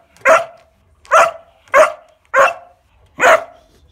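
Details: Fourteen-week-old Kuvasz puppy Bowie playing with a weighing scale, giving five loud, full barks spaced a little under a second apart.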